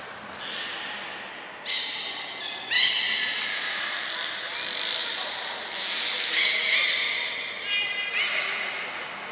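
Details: Belugas Hodoi, Taanya and Mirai during a training session at Port of Nagoya Public Aquarium, November 1, 2020, captive; scattered harmonic squeals and chirps rising high, spaced irregularly, over a steady hall hum.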